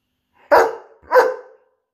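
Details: Arlo, a 17-month-old Borzoi, indoors at night during his nightly burst of playful energy: two sharp, loud barks about half a second apart in a small room.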